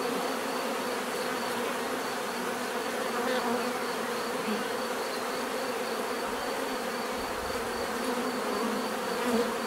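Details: Steady droning of a crowd of bees, their natural buzzing holding level throughout with faint swells as individual insects drift closer and away.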